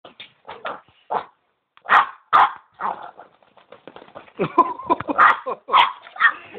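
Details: Boston Terrier barking while playing, rough broadband barks and yips in irregular bursts, some close together and some spaced out, with quieter snuffling between them and faint human voice in places.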